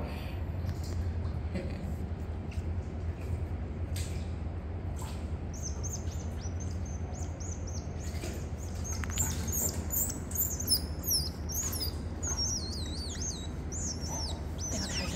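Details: Captive otter pups at a registered zoo in Gyeongsan, Korea, as father Toffee carries them to mother Mocha; shrill, rapid chirping squeaks rising and falling, clustered densely in the second half over a low room hum.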